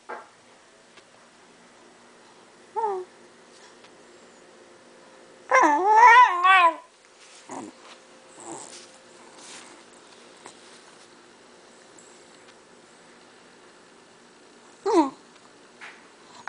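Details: Shiba Inu dog whining indoors for cheese. Scattered short whimpers and yips are broken by a burst of rapid, wavering whines, with long quiet gaps between them.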